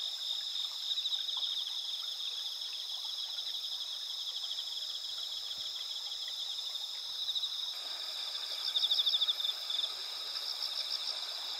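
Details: Chorus of autumn insects in moonlit rural paddies of Asuka village, Japan, on 20 September 2021 before the mid-autumn full moon; overlapping high shrill trills with rhythmic pulsing chirps, one pulsed caller growing louder near the end.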